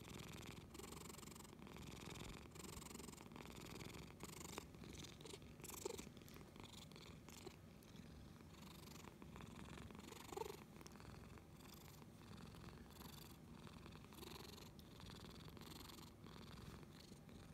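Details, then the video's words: Lily, a domestic cat, purrs loudly and continuously in a quiet indoor setting, producing a deep motor-like rumble that swells and eases in a regular breathing rhythm, with a couple of faint soft clicks. "Lily cat Power Grrrrr...고양이 릴리 파워골골"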